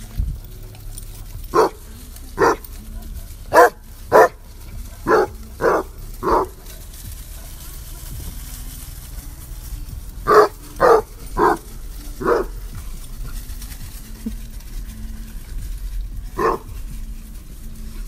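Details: Basset hounds on a basset hound farm barking as a welcoming committee for visitors: deep, loud single barks in a bunch of about seven over five seconds, a pause, then a second burst of four and a final bark, with some talking in between.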